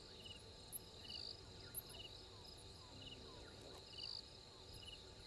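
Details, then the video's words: Insects calling at the Gowrie dam waterhole in Djuma Game Reserve, Sabi Sand Wildtuin, South Africa, at 03:44 on 12/04/21: a continuous high-pitched ringing drone, with evenly spaced short chirps recurring about once a second and faint low background noise. "Djuma: Insects"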